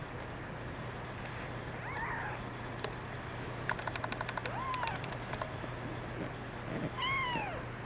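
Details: Kittens crying, including a brown mackerel tabby female; a few scattered short meows, a burst of light clicking taps in the middle, a low steady hum throughout.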